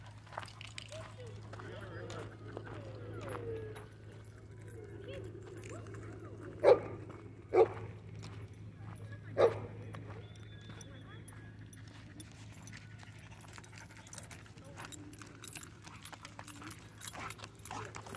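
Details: At a dog park, a pit bull mix with rare colors gives three clipped barks spaced a second or two apart in the middle, among ongoing human speech and a low steady hum.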